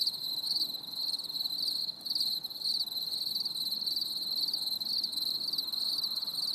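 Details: High, ringing cricket song on a stormy summer evening, pulsed chirps nearly twice per second with a brief dip near the two-second mark, otherwise constant and unaccompanied.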